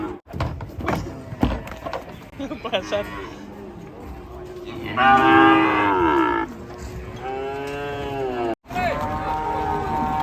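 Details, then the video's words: Raging cattle from a compilation of agitated cows: after a few seconds of thumps and clatter come three loud, drawn-out harmonic moos, each about one to one and a half seconds long, the first rising then falling. One is cut off by a brief silence. "KUMPULAN SAPI NGAMUK"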